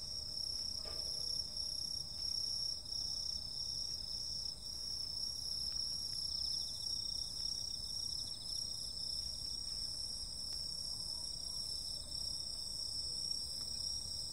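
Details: A continuous summer-night insect chorus, high and ringing, with layered steady trills that never pause, over a faint low background hum.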